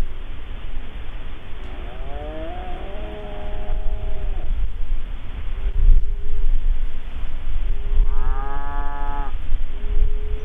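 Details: A cow gives several drawn-out, tonal moos, one long and wavering, then shorter steady ones, over a constant low rumble, heard within a 24-hour field soundscape sequence running from Melbourne to Indonesia.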